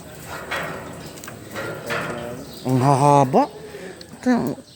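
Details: Goat of a fine, high-class breed kept in a pen. It gives a quavering, wavering bleat lasting under a second, then a shorter second bleat. Filipino conversation and background murmur run throughout.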